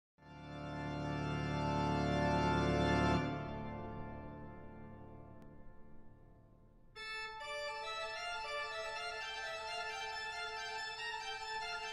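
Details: Organ music plays, a long sustained chord fading out after three seconds, a quiet pause, then brighter repeated keyboard notes; no animal voice is heard.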